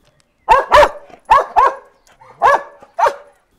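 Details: A Hungarian herding dog gives a run of sharp, harsh barks, the bark it makes when approached by a stranger, as played to other dogs in research on whether dogs tell barks apart.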